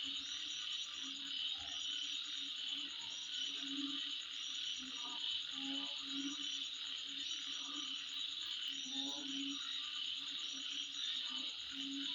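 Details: A midnight insect chorus rings on as an unbroken shrill buzz of many overlapping trills. Low, frog-like croaks break in every second or two.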